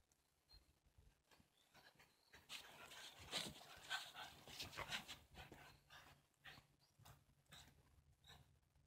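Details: Shiba Inu in a backyard on a winter day, 18 January 2023, excited while its lead is fitted before a walk; quick, breathy panting bursts about every half second swell and then ease, with faint high squeaks and rustling around it.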